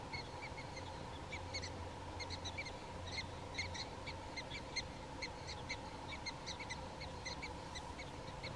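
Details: Prairie dogs in a small prairie dog town in North Dakota, filmed on a Canon SX70HS: rapid, sharp chirping barks repeat in quick bursts, several overlapping, over a steady low hum and faint outdoor background.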